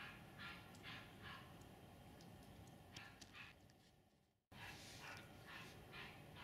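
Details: Tibetan Mastiffs at the RKF kennel "S Volchyey Zemli" in winter 2019: distant, muffled barks come in short bursts of two or three, with a brief silent gap midway and steady background hiss.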